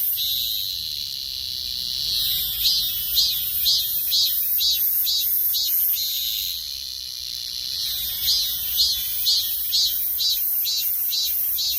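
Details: Cicada song alternates between a smooth, piercing high drone and bouts of rhythmic pulsing, about two beats each second, repeated in two cycles.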